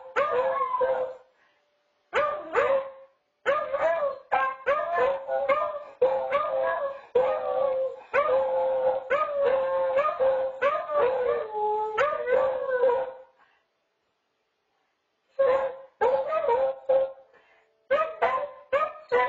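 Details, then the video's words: Two beagles in a duet on a home nest camera give rapid choppy baying barks and short howls in quick succession, then fall silent for about two seconds before resuming bursts of barking. "Beagle Duet"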